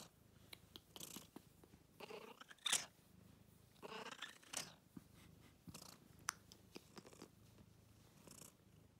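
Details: Domestic cat wearing a scarf, indoors close up, purring with a low steady rumble under scattered sharp clicks and brief rustling bursts, one louder squeaky burst near the middle.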